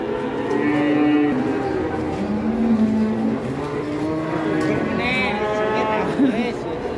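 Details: Big Pegon cattle, nicknamed Leher Beton, being brought in again. Low, steady lowing, one long flat call in the middle, mixed with men talking, shuffling and brief music.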